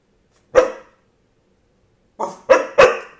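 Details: Dog barking on command: one loud, rough bark, a pause of over a second, then a rapid burst of three barks in quick succession, each falling away quickly into quiet.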